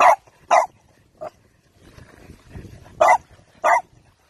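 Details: French Bulldog puppy barking: five short, sharp barks, two quick ones at the start, then a softer one, a pause filled with faint low rumbling, and two more loud barks close together.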